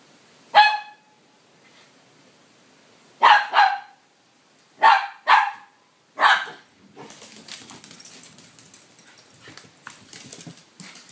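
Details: During crazy puppy time, Minnie antagonizing Mr Thomas inside a small room: four loud sharp barks with a tonal ring spaced one to three seconds apart, then a stretch of scuffling, rustling play noise.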